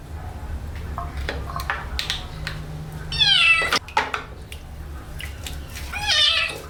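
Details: During its first-ever bath, a kitten lets out a sharp descending meow, a clatter follows, then a second rising-and-falling meow, with faint water noises and hum between.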